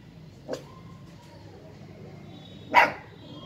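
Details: A 50-day-old Siberian husky puppy at play with a toy monkey gives two brief yips, a soft one followed about two seconds later by a louder, sharper bark, against quiet background hum.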